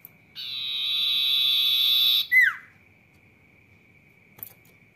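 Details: Sirtu in lively full song: a steady, high, buzzy trill held for nearly two seconds, then a sharp squeak sliding downward, with a faint constant high tone behind and a soft click near the end.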